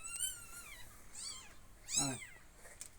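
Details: Kittens mewing indoors: a series of high, thin, arching meows, a longer drawn-out cry first, then shorter rising-falling squeaks, one louder and harsher near the middle, with a woman's voice calling them just before.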